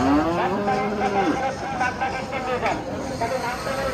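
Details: Bulls at the Hazratpur cattle market in Bangladesh, one lowing a drawn-out moo of just over a second that slides downward in pitch, with crowd chatter and vehicle noise throughout.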